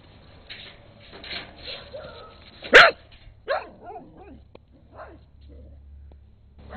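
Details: Rusty, a brown skinny mutt, and Peekero, a red Husky, in late 2006. One loud, sharp bark stands out, followed by a few softer barks and whines, with calm human talk in the background.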